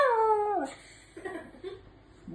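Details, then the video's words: Pet dog talking back to its owner with one brief, high, falling whine-howl, followed by quiet indoor murmuring and a person speaking in Filipino. "dog keep talking"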